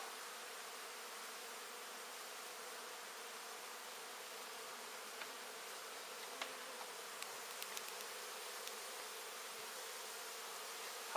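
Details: Honey bees in a huge colony, an exposed hive built half in the open and half inside an indoor wall, during a hive removal. The steady, dense buzzing hum holds throughout, with a few faint ticks and taps.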